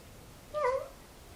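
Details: Domestic cat giving a single clear meow, a short tonal call that bends slightly down then levels off, with a bright stack of harmonics; background otherwise quiet.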